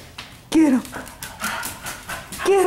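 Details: Pet dogs playing in a living room at night, 15 May 2014: two short, rising-then-falling whiny yelps about two seconds apart, with a person's voice urging the play on.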